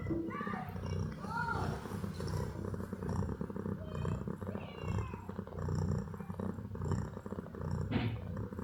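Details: Sleepy kittens yawning and settling into sleeping positions; two short, rising-then-falling mews early on, a fainter high mew midway, over a steady low rumbling purr-like drone throughout.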